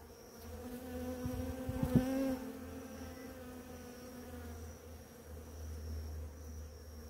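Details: A bee among many feeding at flowering ora-pro-nobis in the morning buzzes loudly and close, a rich low hum with clear overtones that swells near the second mark and then continues steadily.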